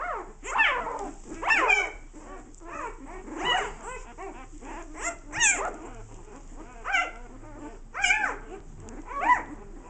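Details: American bulldogs playing: repeated high whiny yelps and whimpers, rising and falling, come every second or so, with short barking bursts among them.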